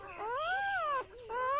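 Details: Newborn golden retriever puppy from a litter of eight, handled indoors; a high, tonal whimper swelling upward in a smooth arch and falling away, then after a short break a second cry rising again.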